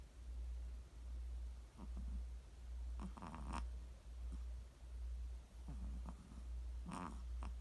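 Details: A sleeping Chihuahua snores in a low, steady rumble that swells and fades with each breath, slightly over one breath per second, with a few faint nasal squeaks and clicks on some breaths.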